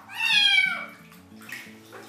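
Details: Young kitten meowing in protest while being bathed: one loud, drawn-out meow that starts high and slides downward, followed by quieter water and handling noises over steady background music.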